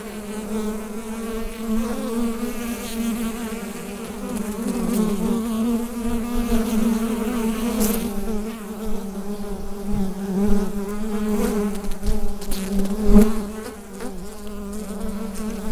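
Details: Bee hive buzzing recorded with a USB microphone: a sustained low droning hum with layered harmonics, gently wavering in pitch and volume, punctuated by occasional short taps and crackles.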